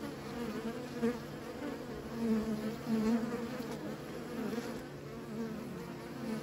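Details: Steady low buzzing of many bees tended by beekeepers, the drone rising slightly louder around one, two and three seconds, otherwise an even unbroken hum.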